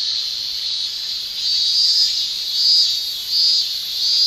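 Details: Male Japanese cicadas shrilling in summer, a dense continuous high buzz with the loudness swelling and easing roughly every second, steady throughout with no other sounds.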